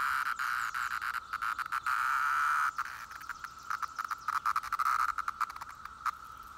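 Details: Brood IX periodical cicadas drone in a steady, high-pitched buzzing chorus that swells and briefly breaks.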